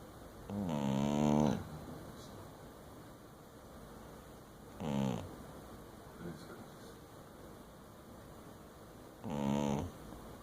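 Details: Dingo asleep and snoring, giving three rough, buzzy inhalations at roughly four-second intervals, each a short harmonic burst, separated by near silence and faint low hum.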